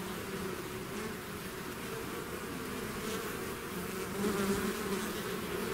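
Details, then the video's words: Swarming bees emerging from their hive produce a dense, even humming drone that swells slightly louder toward the end as a nearby bee buzzes past. "bees therapy swarm natural buzzing sound"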